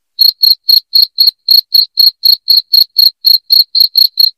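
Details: Loud cricket chirping, played as a sound meant to drive rats out of the home. Short high, ringing pulses repeat steadily about four times a second against complete silence, with no other sounds.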